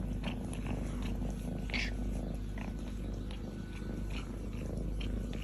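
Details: Nearly grown female kitten lying on her owner's chest, purring with joy as she licks and kisses him; continuous deep rhythmic purring with scattered brief licking and smacking sounds.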